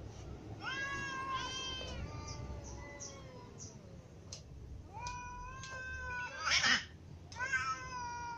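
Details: Cats of all ages, including a ginger cat, meowing from hunger: a rapid chorus of many short and long harmonic meows from several animals, with a brief noisy rasp partway through.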